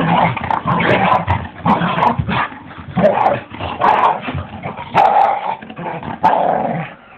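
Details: Two dogs fighting, a big adult and its smaller son, giving harsh snarling growls and rough barks in dense overlapping bursts about every half second, with short gaps between flurries.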